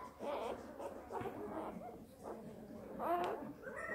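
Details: Newborn Border Collie puppy filmed live at birth: thin, high whining squeaks rising and falling in short bursts, several in four seconds, with rustling and a faint voice in a small indoor space.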